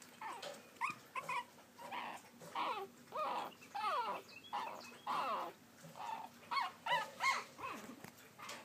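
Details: Pekingese puppies trying to climb a step give a run of high, wavering whines and yelps, each lasting under a second.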